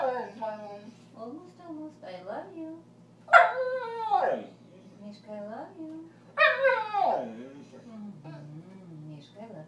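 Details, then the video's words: Pet border collie, male, talking back and arguing: two strong yowling whines that start high and curve downward, separated by softer grumbling, wavering vocal sounds throughout, with a person speaking affectionately nearby. "Border collie talks back"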